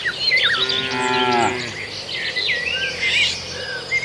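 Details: A single cow among a grazing herd on a farmer's rice field in Indonesia gives one falling moo lasting under a second, followed by bright twittering and whistled bird calls.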